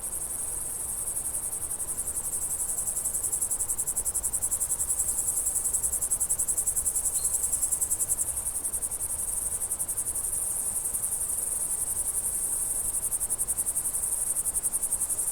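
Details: Crickets in summer countryside, a dense, steady high-pitched pulsing trill throughout, with one faint short bird note midway and a low rumble underneath.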